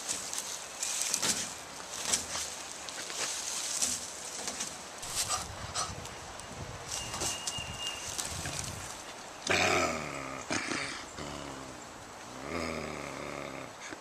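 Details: Scooter, a coyote, is possessive of a roadkill deer in a recording from April 11, 2014. Harsh rasping bursts start near the end, rising and falling in tone, over earlier rustling and scattered noises.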